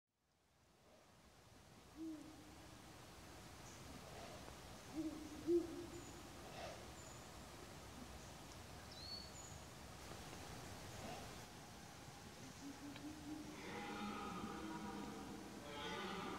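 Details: A red deer stag in Slovenia gives low, drawn-out moaning roars during the rutting season.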